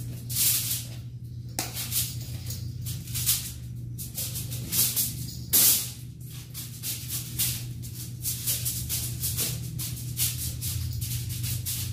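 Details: Tin foil crackles and rustles in uneven bursts over a low steady hum and faint music, with no animal voice heard.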